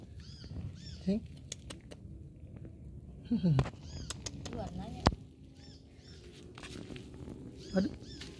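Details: Unfed kitten, left by its mother, searching for her and given rice mixed with fish; thin, high arched meows come in small bursts about five times, mixed with a man's close, frequent coaxing speech.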